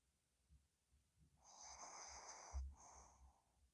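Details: Ddochi the dog snoring while asleep: one long, raspy, wheezing breath with a faint whistle, then a shorter second snore. Soft low thumps come before them.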